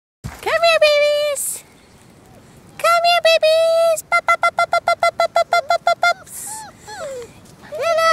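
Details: Orphaned Bernese Mountain Dog mix puppies, 33 days old, in the care of HART All Breed Dog rescue, outside with a few adult dogs: high drawn-out whines, then a fast run of short sharp yips, then more whining.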